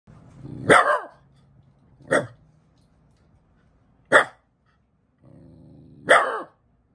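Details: Shiba Inu "talking": four sharp, yelping bark-like vocalizations spaced about two seconds apart, with low grumbling growls running underneath and between them.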